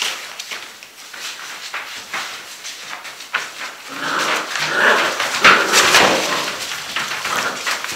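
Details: Six-week-old Gordon Setter puppies at play indoors, giving short yelps and whines among scuffling, rustling noise that grows busier and louder in the second half.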